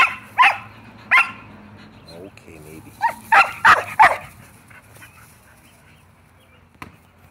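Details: Shetland Sheepdogs at home pressing to play ball: a few sharp barks, then a tight cluster of three quick barks, with faint human voice and fading to near quiet.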